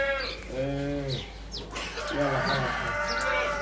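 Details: Awaridi goat giving two drawn-out, nasal, harmonic bleats, each about half a second long and roughly a second apart, with soft human voices and light background noise.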